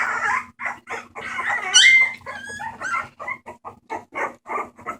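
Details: Homeless bulldog puppies at a rescue, recorded 28 March 2014, giving short choppy yips and whimpers, with a piercing high squeal in the middle before the cries settle into evenly spaced little yelps over a low hum.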